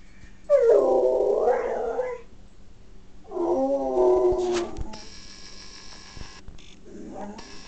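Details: A male dog gives two drawn-out howls of about a second and a half each, wavering up and down in pitch with a hoarse, yodel-like, pig-like quality, followed by faint hiss and handling noise; Dog.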